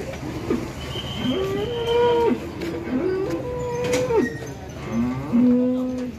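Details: Limousin cattle at a farm in Ampel, Boyolali, Central Java: three repeated moos in a row, each rising then holding a level tone before dropping off, the last one lower and longer, with background hum.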